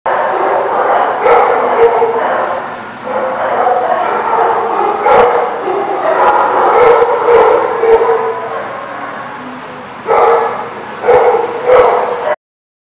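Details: Dog barking, recorded 17 May 2019: dense, continuous bursts of harsh, overlapping barks that suggest several voices, with short gaps and a louder pair of barks near the end.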